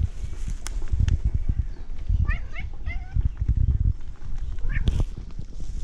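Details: Tabby cat meowing in a way likened to a duck's quack: a few short, clipped harmonic calls near the middle and end, over heavy low rumbling handling noise.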